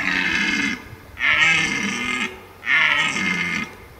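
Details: A red deer in Abruzzo, Lazio and Molise National Park, Italy, gives a series of loud, rough bellows, each lasting about a second.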